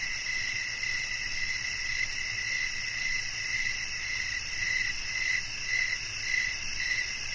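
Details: Cricket song in a soothing nature recording, its high chirps softer and blurred into a nearly continuous trill, layered over a loud, steady, whining insect drone.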